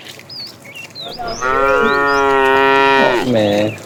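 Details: A fat cow among a tame herd, calling the female in the afternoon: a long loud bellowing moo of nearly two seconds, followed at once by a shorter falling moo, with a few bird chirps at the start.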